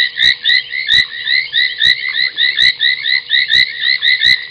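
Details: Night chorus of foam nest tree frogs at a waterhole in Djuma Game Reserve, Sabi Sand, South Africa, 30 January 2021 near midnight: rapid overlapping squeaky croaks in pulsing bursts several times a second, punctuated by occasional sharp ticks.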